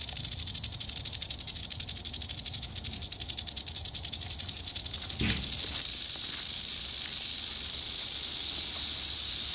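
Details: Eastern diamondback rattlesnake in Florida rattling during a close human interaction: a rapid, continuous dry buzzing rattle, pulsed at first and then merging into a steady hiss after about five seconds, with a brief thump midway.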